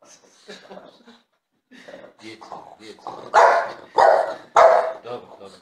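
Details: A jealous French Bulldog vocalizing for attention: soft, wavering whiny grumbles broken by short pauses, building to three loud, harsh yelp-like bursts about half a second apart near the end.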